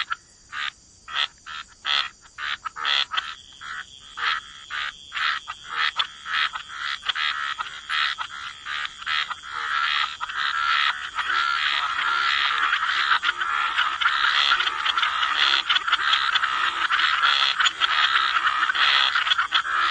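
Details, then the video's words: Frogs croaking by the waterside in a wetland chorus, short rattling pulses repeating roughly twice a second at first, then merging into a dense continuous croaking wash with a steady high hiss. "Relax to the Sound of Croaking Frogs"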